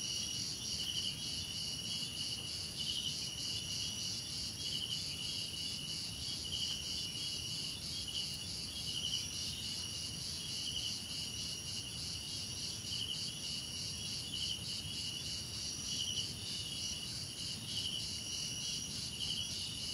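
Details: Crickets sing together: a constant shrill high buzz with throbbing pulsed chirps and brighter chirp bursts recurring roughly every one to two seconds throughout.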